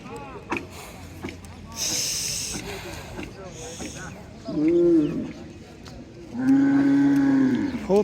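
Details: Cattle at a busy village cattle market in Bangladesh during buying and selling, giving two deep drawn-out moos, one short and one longer, over the chatter and bargaining of people nearby.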